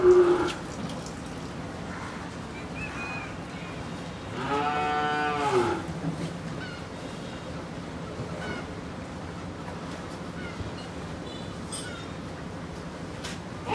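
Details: Two-tooth Pakistani Sahiwal bull, about 24 months old, in Pabna, Bangladesh, recorded 19 July 2021: one drawn-out, harmonic-rich moo lasting about a second and a half, preceded and followed by quieter background noise and faint voices.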